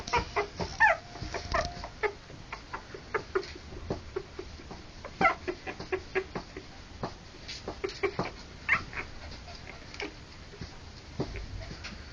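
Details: Three-week-old Harlequin poodle puppies born October 28 2009, a few short high squeaks rising above frequent soft clicks, scuffles and rustling at an irregular pace.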